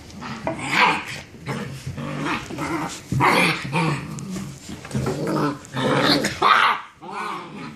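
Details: Several German Shepherd puppies, six weeks old, play fight after dinner in the evening. Low, gravelly growls overlap with sharp, high yips and short barks coming in irregular bursts every second or two.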